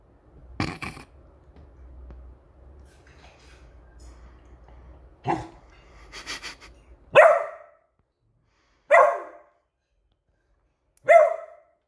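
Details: Beagle barking in alert mode whenever its new squeaky toy comes out; soft rustles and clicks, then three abrupt ringing barks spaced about two seconds apart near the end.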